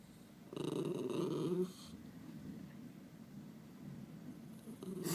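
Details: {'caption': 'Pet Miniature Schnauzer making funny noises indoors, a rough, harmonic-rich grumbling moan lasting just over a second, then a quiet room with faint low rumbling and a short sound near the end.'}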